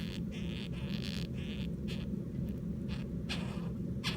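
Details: Captive Japanese rhinoceros beetles mating, kept at home, filmed 24 July 2016 while trembling; irregular rasping bursts of buzzy noise recur every half second or so over a steady low hum.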